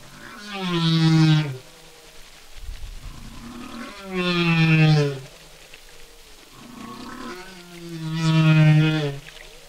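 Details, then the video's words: One humpback whale sings a repeated phrase, a loud harmonic moan sliding down to a low held groan, roughly every four seconds, three times, with soft low rumbles between. "Humpback Whale Song - One Humpback Whale"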